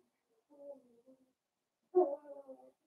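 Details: Indoor puppy pen where blenheim Cavalier King Charles Spaniel puppies, a New Year's litter of five, play with mama Paris; a soft, wavering whiny grumble comes first, then a louder rough growling burst that trails off.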